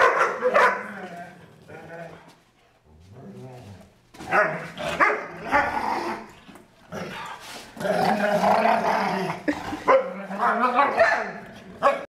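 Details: Two foster dogs at play, the larger female giving unusual playful vocalisations: rough growls, groaning howl-like moans and sharp barks come in irregular bursts separated by quiet gaps, with a little human speech in the background.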